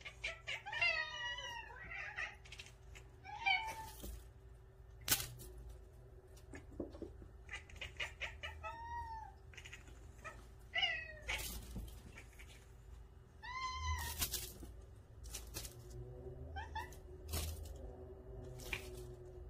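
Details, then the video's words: Indoor pet cats from a nine-cat home chattering at a newly bought feather toy; repeated curving chirps and trilled bleats in bursts, separated by sharp taps and rustles over a faint steady hum. "새로운 장난감을 마주한 고양이들의 채터링 소리"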